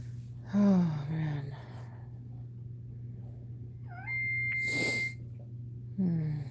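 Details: Cane Corso crying indoors while another dog, Cashmere, is in labour: two drawn-out, falling, whiny cries with rich overtones, the first about a second long, the second starting near the end, over a steady low hum, with one sustained electronic beep between them.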